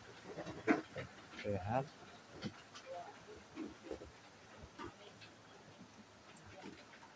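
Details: Sheep at Selanjam Farm, Cokro, Grabag, during a health check on 24 May 2022: a short harsh bleat near the start, then a wavering bleat about a second later, followed by quieter voices and farm noise.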